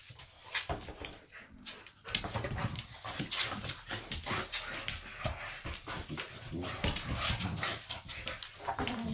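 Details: Two boxers indoors, just in from running underfoot while logs were hauled for the fire, make whiny grumbling 'talk': dense, uneven whimpers and moans in bursts across the whole stretch, with a brief lull near two seconds and faint household sounds.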